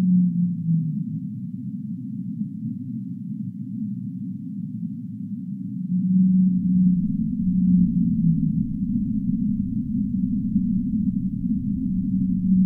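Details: Humpback whale singing: long, low, steady moaning tones that glide gently downward near the one-second and eight-second marks, over a constant deep rumbling wash with nothing in the higher range.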